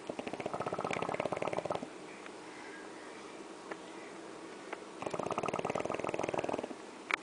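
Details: Jorge, a French Bulldog, snoring: two long bouts of rapid, rattling, buzzy snorts, each about two seconds, separated by a quiet stretch of breathing with faint clicks.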